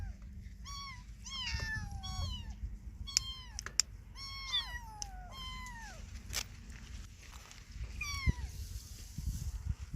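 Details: Lost kitten separated from its mother, calling with a rapid series of high, thin meows, each sliding downward, about a dozen over ten seconds with brief gaps, over a low rumbling background.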